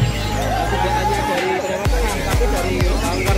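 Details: Loud music with a heavy beat and some voices, with no clear animal sound.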